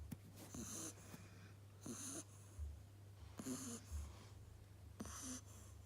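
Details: A sleeping Beagle puppy snores softly: four wheezy, hissing breaths spaced roughly every one and a half seconds, each with a faint low snort, over a steady low electrical hum in a quiet room.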